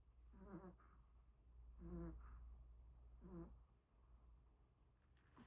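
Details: Sleeping Pomeranian dog snoring: three evenly spaced, rasping, buzzy breaths about one and a half seconds apart, each with a faint higher whistle at its end, over a constant low room hum.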